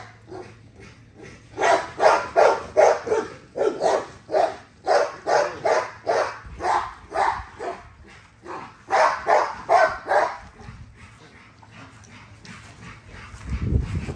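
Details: Rapid, regular barks from Nyla, a female XL American Bully with ghost tri colouring, being exercised; roughly twenty loud barks come in two bursts with a short gap, then fade to quiet background at the end.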